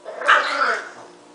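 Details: Pet dog named Marshall giving one short moaning, bark-like yowl that jumps up sharply, holds a strained harmonic tone, then slides down and fades within about a second, in a quiet indoor setting.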